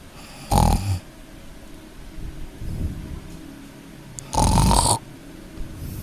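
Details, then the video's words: Kitten snoring in its sleep: two loud, raspy breaths about four seconds apart, each with a thin whistle, and a softer, low breath between them. No other sounds. "Anak kucing tidurnya ngorok"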